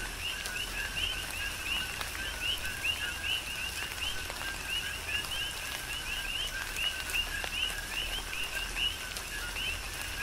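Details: Chorus of coqui frogs in a tropical rain shower, Big Island, Hawaii; crisp upward-sliding high notes each led by a lower note, repeating rapidly from several callers while rain patters and drips steadily.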